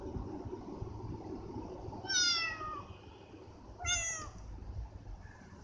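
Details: A pet cat gives two short meows about two seconds apart. Each is high, clear and slightly falling, heard over a steady low background hum.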